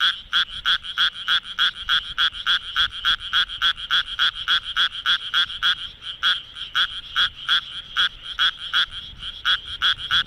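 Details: Night recording from Minamitajima, Kawagoe, Japan, of a Japanese tree frog calling with its vocal sac: loud, steady stream of short nasal croaks at roughly three per second, harsh and bright, little background noise.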